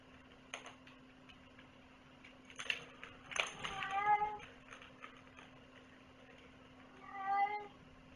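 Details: Domestic cat indoors giving two meows, a short one near four seconds and another near seven seconds, with soft rustling and faint noises between them and a steady low hum underneath.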